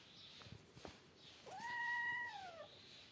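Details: Cat meow near kittens at play, two outside kittens alongside a cat and three kittens: a single clear meow that rises quickly, holds steady and then slides downward, preceded by soft clicks and taps.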